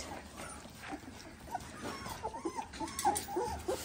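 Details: Eighteen-day-old Dalmatian puppies giving soft, wavering whimpers and squeaks in quick, irregular succession, faint against a steady background hiss.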